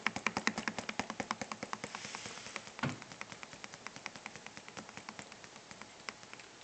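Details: Rapid, uneven tapping clicks over a soft hiss, with one louder knock near the middle and no animal voice.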